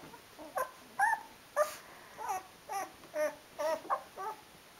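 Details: Rhodesian Ridgeback puppy, 12 days old, from a litter indoors: short high whimpers and squeaks, about two per second, some rising then falling, with quiet gaps between.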